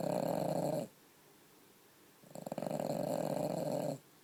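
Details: Aino, a female French Bulldog, sleeps at home, passed out after her broken toenail was removed. One snore trails off at the start, then a long raspy, rattling snore follows a quiet pause.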